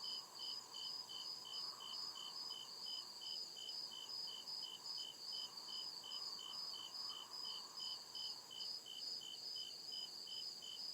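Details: Woodland crickets at night: regular, rapid high chirps keep time over a dense shimmering insect chorus, while a softer lower drone rises and falls beneath.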